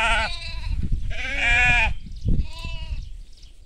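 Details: Sheep and baby sheep on farmland: three bleats in quick succession, the middle one longest and loudest, shaky and nasal, with low thumping background noise.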